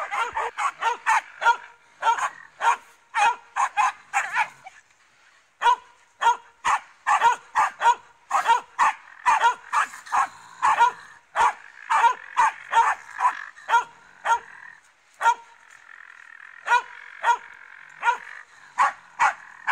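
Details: Finnish Spitz barking at a raccoon dog: long volleys of quick, high-pitched barks, several per second, broken by brief pauses near five and fifteen seconds, with a steady higher whine underneath in the later part.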